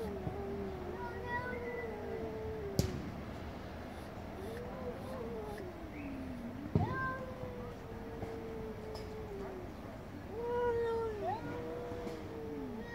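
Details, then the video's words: Angry domestic cats in a chorus: low, drawn-out yowls dipping and rising under steady background hiss, with sharp knocks and a brighter wailing meow near the end. "Cats meowing very loudly │Angry cats chorus"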